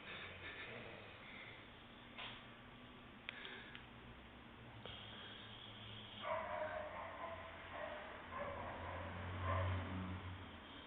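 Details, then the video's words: Bulldog snoring: low, rumbling breaths that grow rougher and louder in the second half, with raspy snorts roughly every three seconds over a steady background hum. "BULLDOG SNORING :p"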